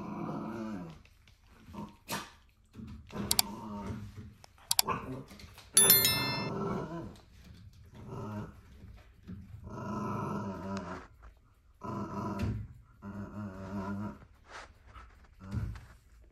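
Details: A corgi puppy who doesn't like cycling bites at a bike pedal, giving bursts of low, rumbling growls mixed with small yaps and sharp metallic clicks.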